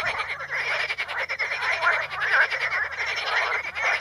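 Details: Chorus of frogs on Potamogeton crispus in the Ispani mires: many overlapping rattling, croaking calls form a constant buzzing wall of sound, with a few clearer squeaky notes standing out.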